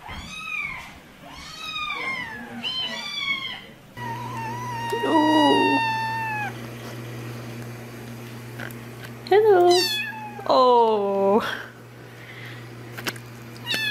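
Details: Several kittens meow repeatedly: clear, high, arching cries, a few long and wavering, others short and sharp, over a steady low electrical hum and faint rustling.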